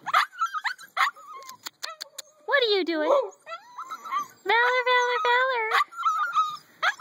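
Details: Litter of eight-week-old pups; one lets out drawn-out harmonic whines, a wavering cry near two seconds in and a steady long wail around four and a half seconds, between sharp clicks and a person's chatter.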